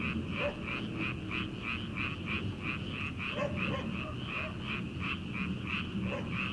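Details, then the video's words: Chorus of frogs in rice paddies in early summer at night, before transplanting: fast rattling croaks pulsing about three times a second, overlapping callers, with a few short lower knocking notes mixed in. "초 여름 개구리 울음소리/ 논에서 들리는 개구리 소리"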